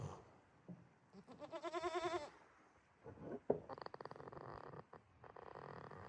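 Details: Jitta the goat dozing in a quiet pasture at Yoshigake farm, Himi, Toyama, Japan, 11 March 2026: a wavering, nasal tonal breath, then a sharp click and two rattling, gravelly snore bursts.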